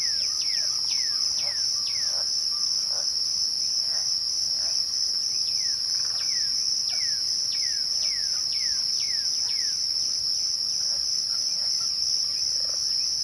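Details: Crickets trilling at twilight, a shrill uninterrupted tone. Two groups of rapid descending whistled notes from another caller are layered on top, one early and one in the middle.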